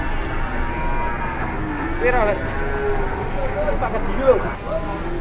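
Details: Large cattle; a few short arching moos near the second and fourth seconds rise above a low rumbling background, with a man speaking alongside.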